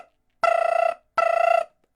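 Gray tree frog giving two short, buzzy, pulsed trills about half a second each.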